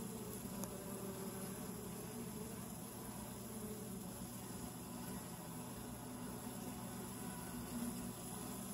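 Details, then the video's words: Close-up recording at the entrance tube of a honey bee hive: an unbroken low buzzing hum from the bees, steady in loudness, with a faint click near the start. "Entrance tube close up - Sound up!"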